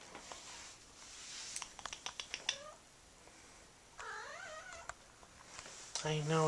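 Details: Nine-month-old blue point Siamese cat, a neutered male, indoors, still trying to mount a doll. Clicking and tapping first, then one long wavering yowl near four seconds and a brief cry at the end, with soft human speech.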